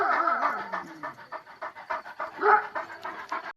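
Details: Wolf-line purebred Kangal breathing heavily after its encounter with a wolf, rapid rhythmic panting with a thin, wavering whine at the start and a brief tonal whimper midway.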